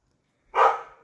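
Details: House dog barking at nothing around midday, one of several such outbursts that day: a single short, harsh bark that fades quickly into quiet.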